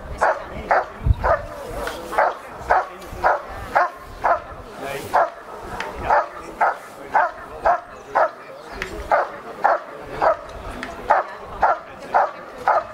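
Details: Ivar vom Falorie, a dog doing protection work at a first pre-trial held by kringgroep Salland, scoring 91 points; loud, sharp barks repeated steadily about twice per second throughout, with faint voices in the background.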